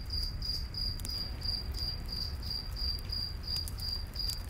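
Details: Cricket sounds at night in a forest around a campfire: clear, high chirps in a quick, regular series, set over a deep rumbling fire with occasional crackles.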